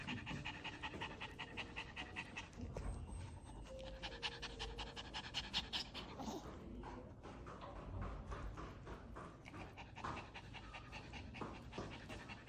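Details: Dubu, a Maltese recovering at a Chungmuro animal hospital from surgery on a torn right cranial cruciate ligament, pants steadily in short, rasping breaths, roughly two and a half each second, with low room noise and faint tones behind.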